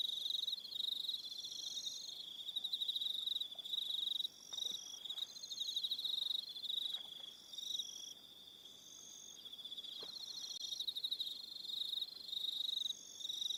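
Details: Crickets calling on an evening at Aroha Island, New Zealand: several insects overlapping in a steady high-pitched pulsed trilling, with bands of rapid chirps shifting in and out over a quiet background.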